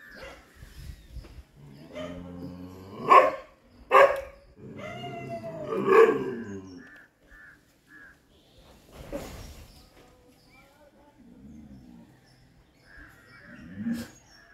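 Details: While fighting monkeys, a Chippiparai dog gives a cluster of abrupt barks with tonal, whining edges, then quieter scattered barks and short high tones over about fifteen seconds.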